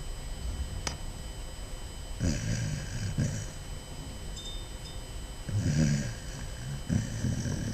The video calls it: Basset Hound puppy snoring